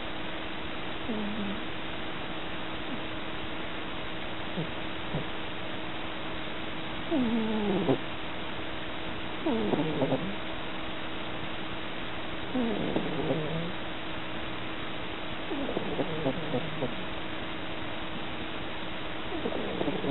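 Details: A tabby cat fast asleep and dreaming of chasing mice gives soft snores: short, low, wavering falling sounds recurring every two to three seconds, growing slightly more ragged, above a steady hiss.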